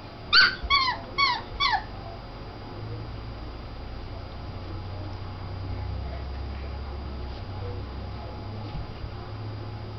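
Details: Puppies at play, around four to five weeks old: four short, high, harmonic yips in quick succession in the first two seconds, then a steady low hum with faint scattered sounds.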